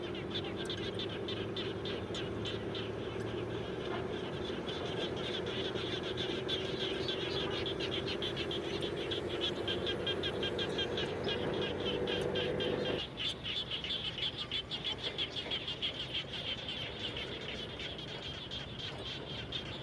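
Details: Frogs calling around a home after rain, a dense chorus of rapid pulsed calls repeating about three times a second, with a low droning hum that drops away partway through.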